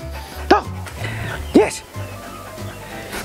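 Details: Old Siberian Husky being trained to bark on the command "talk" and praised: two short, sharp barks about a second apart, then quieter huffs, over background music and the trainer's voice.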